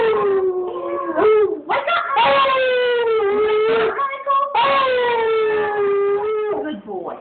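A beagle sings in sustained, mournful howls that sag gently in pitch and break off before starting again. The howling serves as a wake-up call, with a person's voice possibly mixed in.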